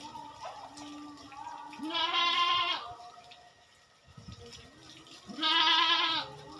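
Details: On a goat farm at routine work done every two weeks, a pair of long, shaky, nasal bleats rings out about three and a half seconds apart, with light clatter and faint background tones in between.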